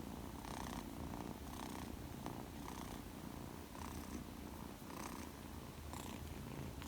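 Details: Male Persian kitten aged two months, shaded silver coat, purring contentedly at close range indoors; a steady low buzzing rumble that swells and eases with each breath, about once every second.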